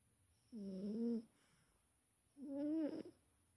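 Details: A big domestic cat snoring in its sleep: two drawn-out, buzzy breaths, each about half a second long and roughly two seconds apart, with near silence between them.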